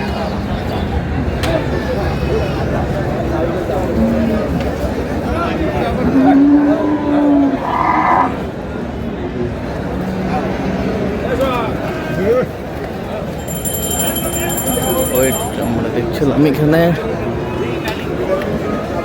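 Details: Bulls at a cattle market, bought in lots by a Chattogram farmer as Qurbani animals on 7 May 2026. A low, drawn-out moo comes near the middle, with shorter lowing later, under steady crowd chatter, bargaining voices and vehicle noise.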